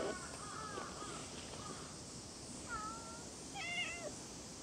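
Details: Cat meowing outdoors: a few short, faint tonal mews early on, then a clearer falling meow near the third second and a brighter, higher, wavering meow toward the end, over a steady background hiss.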